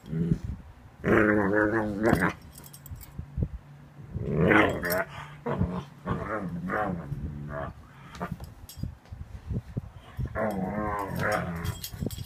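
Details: Young Ibizan Hound, seven months old, making playful funny noises: several long, warbling moans and grumbles with changing pitch, separated by quieter gaps with soft clicks and rustling.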